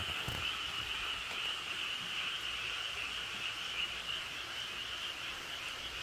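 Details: A dense chorus of frogs in a valley by rice paddies at Cheonjinam, Toechon, South Korea, gives overlapping high, rapid croaks that form a steady, unbroken trill. Frog.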